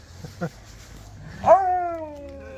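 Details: Siberian Husky arriving and greeting, a single drawn-out vocal sound that rises sharply then glides slowly down, with soft faint sounds before it and a low hum beneath.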